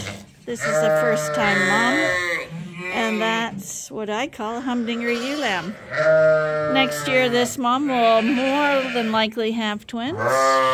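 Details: Bottle-fed lambs, still with their mothers, call at Ewetopia Farms: a dense run of quavering, rising-and-falling bleats from several animals, with a person's voice audible underneath.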